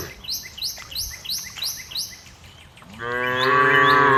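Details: Cows out in green fields, where a rapid series of repeated bird chirps gives way to one loud, drawn-out, steady moo from a cow.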